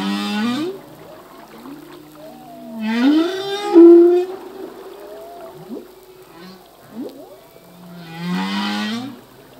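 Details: Male humpback whale song in the sea: low moaning tones gliding upward and downward, interspersed with bursts of rich harmonic cries and a bright rising wail near the middle, units separated by short quiet gaps.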